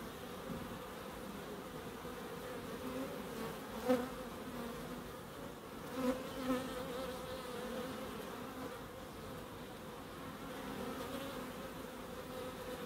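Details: Bees foraging in a small wildlife garden in Crookes: soft steady hum of buzzing wings, with clear louder fly-bys around four and six seconds where the buzz swells and pitch shifts slightly.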